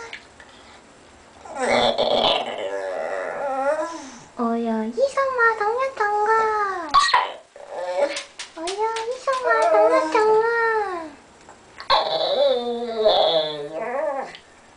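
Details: A white Pekingese dog 'talks' in a run of bending, whiny howls and grumbles in a small room, as if wanting to say something.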